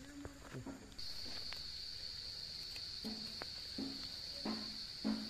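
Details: Cicadas singing in the Himalayas of Nepal during wild mushroom foraging: a steady, high, unbroken buzzing drone begins after a second and holds to the end, with low thuds, rustles and brief voice-like sounds beneath.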